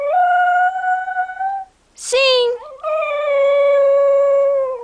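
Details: Cocker Spaniel howling along as its owner asks it to sing, June 2008: a long level howl, a brief spoken prompt, then another drawn-out steady howl that sags in pitch at the end.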